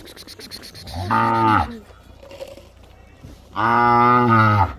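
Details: Bullock calves raised for racing, at Gevrai in Beed district, Maharashtra: two loud, deep harmonic moos, the first about half a second long and the second longer and steady, separated by a quiet gap with faint background murmur.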